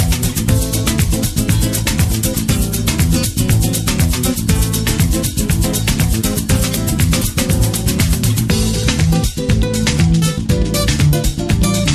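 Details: Loud, steady guitar-led music with plucked strings and shaker-like percussion fills the whole recording, with no animal voice audible.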